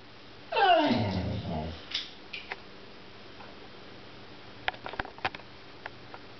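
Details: Clover, a pet American Pit Bull Terrier, "talking" indoors: one long, loud, drawn-out vocal sweep that slides downward in pitch over about a second, then a couple of short softer sounds and scattered clicks in a small room.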